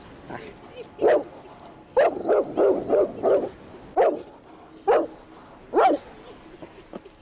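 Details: Bernese Mountain Dog barking furiously at a snapping turtle: a lone bark, a fast string of five barks, then three more spaced single barks, rough and mid-pitched, with a person's voice faintly in the background.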